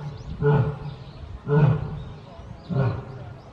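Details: Lioness Lily at Tobe Zoo, Japan, one of a pair of lion siblings, roaring on 14 February 2024: three deep, forceful grunting bursts, each swelling and fading, spaced about a second apart.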